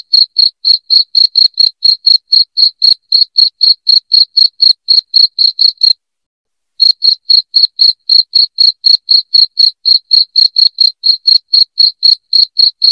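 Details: Cricket giving a shrill, loud chirp intended to scare rats out of a house, short clicky pulses repeating roughly four times a second, broken by one brief silence before continuing evenly.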